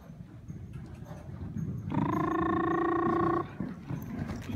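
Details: Young horse from a herd of two-year-old stallions sired by San Amour, with For Compliment and Ehrentusch as maternal grandsires: one loud, steady, harmonic-rich call held level for about one and a half seconds over low background rumble.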